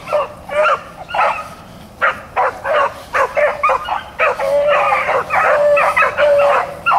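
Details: Blackcreek and Bluetick hounds running rabbits, April 4, 2013: a steady chorus of ringing, yelping bays from several dogs, calls overlapping nearly without pause for the whole stretch.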